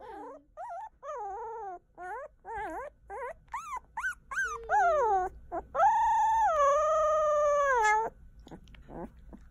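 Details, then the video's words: Newborn German Shepherd and Labrador puppies vocalising: a rapid series of short, wavering whimpers and squeaks that rise and fall in pitch. These build to a long, steady, high whine lasting about two seconds, followed by a few soft squeaks. "Newborn German Shepherd & Labrador Talking"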